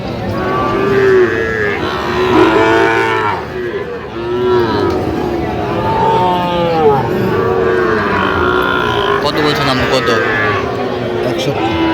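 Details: Bellowing from a crowd of cattle where Jamalpur farmers buy Sahiwal bull calves, August 2025. Arched moos arrive one after another, several animals calling in turn over a busy hum of voices.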